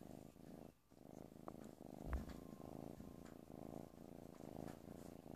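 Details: Playful kitten purring steadily, a low rhythmic rumbling pulse filling the whole stretch, with a brief break near the start and a small bump around two seconds.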